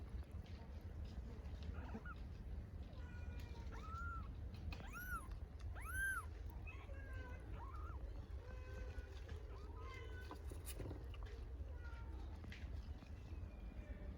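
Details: Hungry kittens among stray cats in Istanbul meowing for their mother cat: several short high arched mews, some rising and falling, scattered through the clip over a steady low rumble of outdoor traffic noise.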